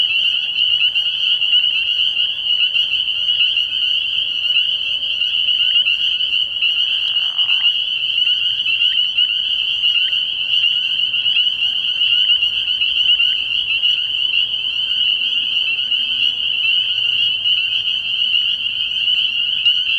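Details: Night chorus of many spring peepers at a frog pond in early spring, a continuous piercing high-pitched wall of peeping with individual notes flickering through; a faint, brief lower murmur appears midway.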